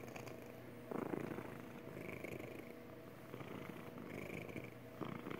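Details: Magic the cat giving her happy purr, a low continuous buzz with gentle rhythmic pulsing, plus a couple of brief soft thumps or rustles.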